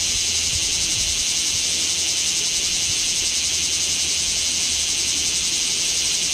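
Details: Steady, saturated high-pitched drone of bear cicadas at Kamo town on a scorching 2 August 2026, filmed with a Z50II; an unbroken rasping wall of sound with a subtle fast tremor.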